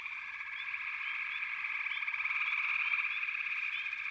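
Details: Frog chorus building slowly louder across four seconds: a thick, buzzing high-pitched drone of countless callers, quick pulsing trills beneath, and occasional short rising chirp notes standing out on top.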